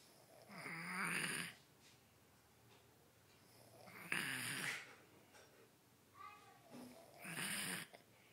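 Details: Sleeping kitten Jonathan snores in a small room, three rough, hissing snores roughly every three seconds, each a half-second wheezy rasp with a faint whistling tone in the breath.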